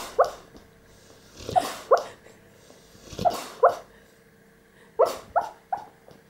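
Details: A 16-month-old Staffordshire Bull Terrier dreaming in its sleep; soft muffled woofs and whimpering yelps in short clusters of two or three, roughly every one and a half seconds, with quiet breathing between.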